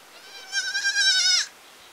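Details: Village goat giving a single high, quavering bleat of about one second, wavering in pitch with a brief downward slide at the end; quiet background otherwise.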